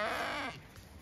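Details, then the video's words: Zwartbles ewe bleating in a field on a regenerative farm in County Kilkenny, Ireland, as the flock grows chatty while their pasture is checked; a harmonic bleat for about half a second, then fading to quiet grassland background. "Ewes all very chatty as I check their field for when I next move them"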